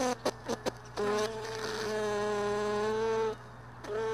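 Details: Close buzzing of a honey bee around beehive boxes left in a truck bed, early morning during frame sorting; short buzzy bursts open, then a sustained harmonic drone that rises slightly before cutting off, resuming at the end over a low hum.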